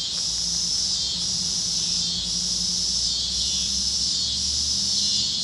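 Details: Sunset chorus of cicadas over the fields of Kansas on a warm evening: a shrill hissing drone rising and easing in slow pulses roughly every second, with a soft low hum underneath.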